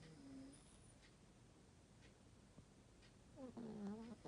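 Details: Elderly Chihuahua, nose a little stuffy, snoring softly; long stretch of faint breathing, then near the end a wavering whistled nasal tone with a buzzy edge, rising and falling for under a second.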